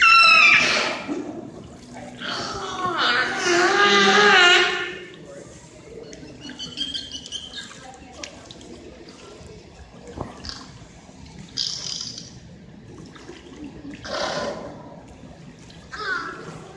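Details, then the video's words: Belugas in SeaWorld Orlando's indoor Wild Arctic habitat: opening squealing, warbling whistles with wavering pitch over four seconds, followed by scattered short chirps and noisy bursts amid quieter background. "these are vocalizations of beluga whales in seaworld's wild arctic exhibit sometimes called the canary of the sea"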